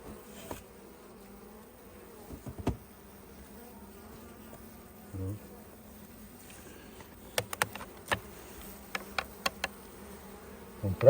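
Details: Honey bees at a hive opened during the honey harvest: a steady, low droning hum holds throughout, with scattered sharp clicks and knocks from handling the frames.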